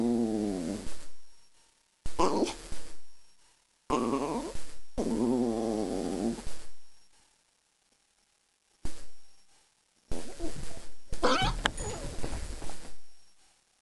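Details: A pet dog being bothered by another pet makes odd rumbling, moaning growls in long bursts, some wavering and groaning, separated by short silences, with a last extended rough grumble.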